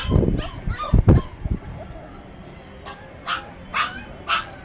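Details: Chippiparai dog eating next to a Kanni. Thick chewing and clattering sounds come first, then three clear, high, short yips spaced about half a second apart, with quieter background noise.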